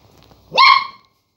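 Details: Single high, clear yip from a Border collie puppy barking at a lemon on first sight, rising sharply then holding a steady tone before cutting off.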